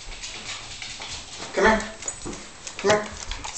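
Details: A Basset Hound performing a newly learned trick gives two brief, tonal, harmonic whine-like vocalizations, each rising slightly, a little over a second apart, against a low background hiss.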